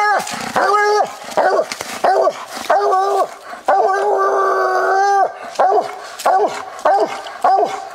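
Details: Walker coonhound Copper treeing on a coon hunt: loud, choppy barks at an uneven pace, with several long drawn-out bawls held for close to a second in the middle; the recording is old and of low quality.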